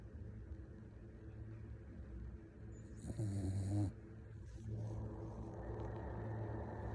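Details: A puppy snores in its sleep, giving a single short, low, rumbling snort midway with a breathy hiss on top. The rest is soft breathing against a constant low hum.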